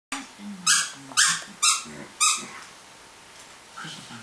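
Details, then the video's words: Pet dog playing with its toys, making odd noises: four sharp, squeaky yelps about half a second apart, each mixed with low grunting, then quieter whining. "makes disturbing sounds"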